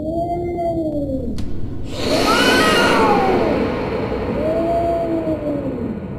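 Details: Scary, drawn-out cat yowls: a smooth, falling wail, then a noisy burst with a higher arching cry, then another slow rising-and-falling moan over a low background hum.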